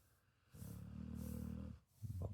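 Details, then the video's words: Two Pit Bull dogs cuddling together while asleep indoors; one low, rumbling snore drawn out for about a second, followed by a short snorting breath. "Two Pitbull Dogs Cuddling & Snoring"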